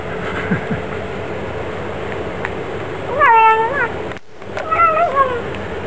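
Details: Indoor Bengal cat meowing: after a quiet stretch of room noise, a rising then falling meow, a short break, and a second wavering meow.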